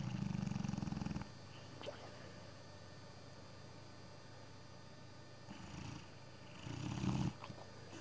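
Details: Sabre, an old English Bullmastiff dozing on a Sunday afternoon, gives a low pulsing rumble of a snore for just over a second, then a quiet stretch, then a shorter second rumble near the end.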